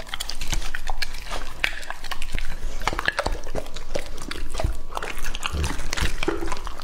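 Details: Raw meat being devoured by Lucky, a male English Labrador aged two and a half: sharp biting clicks and crunches come in quick irregular bursts, with thick low smacking underneath.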